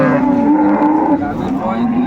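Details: At Ambari cattle market, Dinajpur, on 29 April 2024, a dairy cow sold with her calf gives a low, even, droning moo over market bustle and nearby voices.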